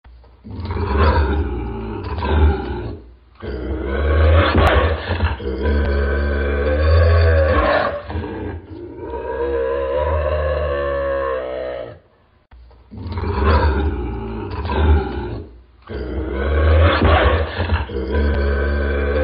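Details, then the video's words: Bobcat snarling: harsh, rasping growls with a deep low rumble, in long bursts of several seconds broken by brief silences, with one sustained wavering snarl near the middle; no other sounds. "Bobcat Snarling Sound"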